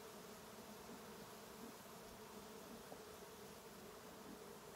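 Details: Western honey bees at a hive after smoking during a trap out, left alone to evacuate; a steady, dense low hum fills the clip with faint bands around the middle and no other clear sounds.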